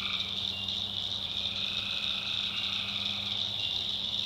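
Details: Many tree frogs calling after dark in a North Carolina backwoods swamp, forming a continuous piercing trill with layered lower call bands and a steady low hum beneath.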